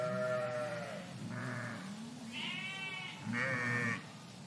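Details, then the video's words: Sheep flock in a park, a run of overlapping bleats: a lower wavering bleat, then higher quavering cries, ending with a loud strained bleat near the end. "Flock of Sheep in Park Sound Effect"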